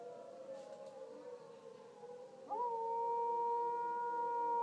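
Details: Dog howling along with a tornado siren: a long, wavering, drawn-out tone that then gives way to the siren's loud, steady pitch.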